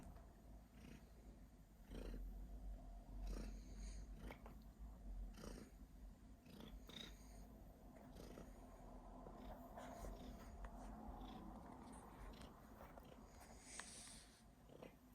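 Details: Cat purring with intermittent coughing, indoors: a low, rhythmic purr with louder irregular bursts around the early seconds, then a quieter steady rumble, plus scattered faint clicks and a brief higher hiss late on.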